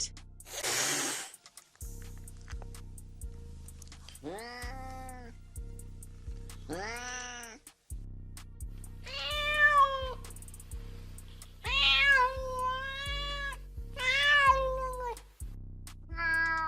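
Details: Domestic cat meowing over a steady backing music beat: after a few seconds of music and noise, a series of clear, harmonic, rising-then-falling meows, some drawn out and wavering, repeated roughly every two seconds.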